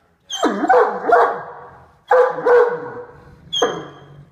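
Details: Katie, a female Great Dane eating supper in her favourite chair, gives harsh, rising-and-falling growling grumbles in three bursts at her son Max, another dog, to guard her food; described as playful.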